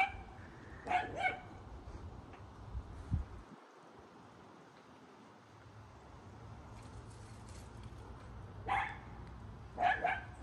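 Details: Norman the dachshund outdoors in the rain, checking the bushes for bunnies after hearing something: a few short, sharp barks spaced seconds apart over steady rain hiss, with a quiet lull in between.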